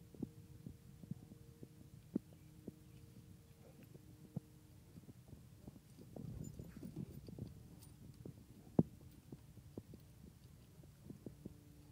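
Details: Faint low rumbling with scattered thumps and sharp clicks, like movement on a wooden deck, and no animal voice heard.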